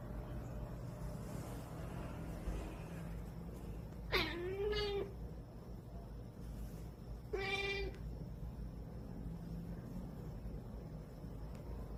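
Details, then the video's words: Sleepy cat whining before sleep: a drawn-out meow that dips then rises and trails off, followed about three seconds later by a shorter whine, over a constant low indoor hum. "잠투정하는 고양이"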